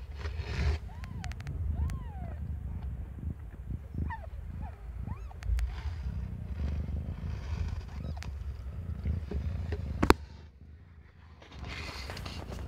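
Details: Cat named Aimee, not yet one year old, giving birth to five kittens of different colours; several short, thin arched mews rise and fall amid a steady low rumbling background, with a sharp click near the end.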